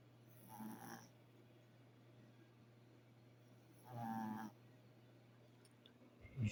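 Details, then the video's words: Snoring from a sleeping dog: two rasping inhalations roughly three seconds apart, each lasting about half a second, with a low steady hum in the room between them. "Snoring dog"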